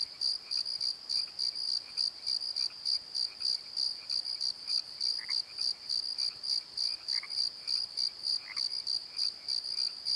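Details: Crickets calling at night in a valley bottom, a steady high chirping pulsed about three times a second over a continuous ringing tone, with faint higher chirps from other insects scattered through.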